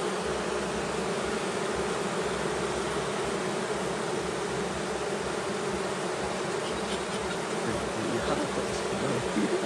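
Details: Honey bees during beekeeping, a dense continuous buzzing drone from many bees, even and unbroken throughout with a low hum beneath.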